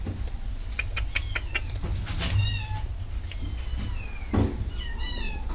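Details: Cat meows with faint clicks and taps at first, then a series of wavering, falling harmonic meows in the second half, over a constant low-pitched background hum.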